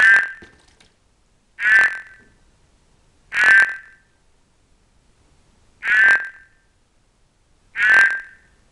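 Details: Captive horned frogs, including an albino Cranwell's horned frog seeking amplexus; short harsh croaks, each a brief buzzy burst, five given at irregular intervals of about two seconds against a quiet background.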